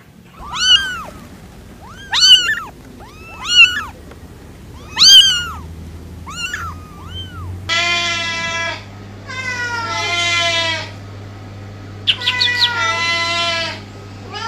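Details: Cats mewing: four evenly spaced short, high arched meows, then longer, steadier wavering cries with a steady low hum behind them.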